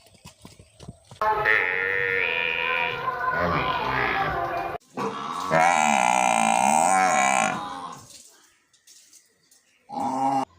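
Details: A cow in a village gives long, drawn-out moos, loud and rich in tone, with a wavering pitch.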